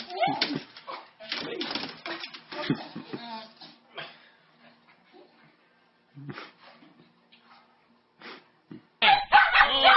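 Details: A dog greeting its owner with excitement gives short bursts of whines and yelps in scattered clusters, fading to near quiet mid-clip before a loud, high whine near the end; human voices mix in.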